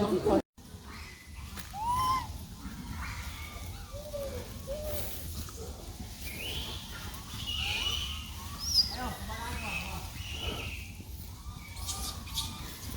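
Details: Baby monkey with its brother, crying loudly after losing its mother: a steady run of short, arched wailing calls, some rising then falling, overlapping at different pitches, with a brief human voice at the very start.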